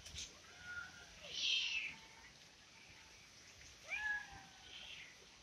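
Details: Domestic cats come running and meowing after their owner calls them; several drawn-out meows, each bending down then up, with a breathy burst in between and a short higher meow near the end, in a quiet indoor setting.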